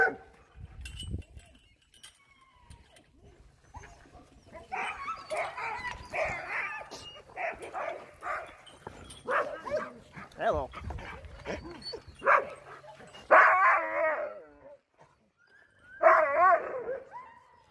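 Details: Sled dogs in Alaska, trained to be friendly around people and other teams, greeting a visitor: scattered whimpers and short yips build into sharp, loud yelping bursts toward the end.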